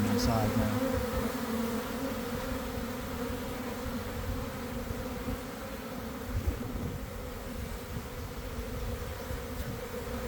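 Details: Swarming honey bees leaving a hive in a garden in the early afternoon, after a week of cold and damp: a continuous deep hum of many bees, with a short tonal sound at the very start.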